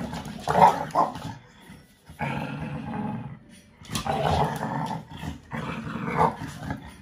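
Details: Puppy American Bully, five months old, growls while grabbing a toy from a five-year-old American Staffordshire Terrier during play; four gravelly, sustained growls, each lasting one to two seconds, with quieter gaps between them.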